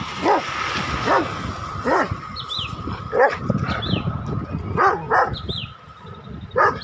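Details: Rottweiler (Canis familiaris), barking: aggression toward a cow.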